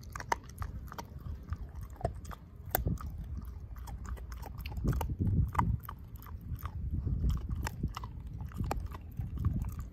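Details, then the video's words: Ozzie the dog devouring a pork steak, jaw chomping down and mashing the bone; uneven low crunching and biting bursts, quieter at first and thickening toward the end, with sharp clicks scattered through. "Dog Eating Pork Steak"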